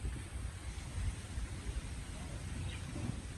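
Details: Steady low rumble of wind and distant traffic with a faint murmur of voices, and no animal calls.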